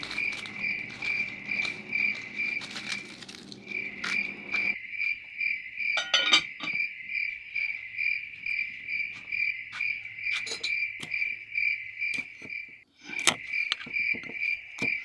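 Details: Crickets chirping on a quiet farm at nightfall, with frogs also present; a steady high trill pulses about twice a second, broken by a few sharp clicks and knocks, with a low rumble in the first seconds.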